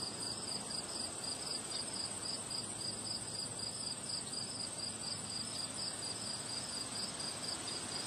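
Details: On a windy day, crickets keep up fast, unbroken high chirping in a steady pulse train, partly masked by a broad wash of wind and a persistent high whine.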